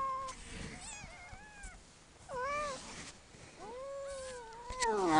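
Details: A one-year-old domestic cat giving birth to five kittens, recorded indoors; a few short, thin rising-and-falling meows over a quiet background, with a person speaking softly nearby.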